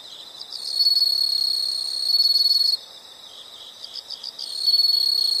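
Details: Insect sound for relaxation and sleep: soft ticking pulses swell into a piercing high buzz lasting two seconds, fall back to gentle pulsed chirps, then the shrill buzz starts again.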